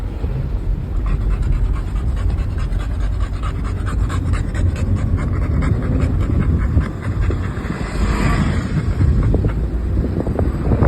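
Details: American Bully named Miku, a male dog delighted to be travelling by car with his family, panting rapidly and steadily throughout, breaths overlapping a constant low vehicle hum and faint background chatter.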